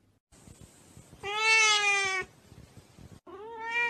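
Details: Pet cat letting out one loud, sustained meow, then a shorter meow that rises at its start, over a thin high hiss and scattered clicks.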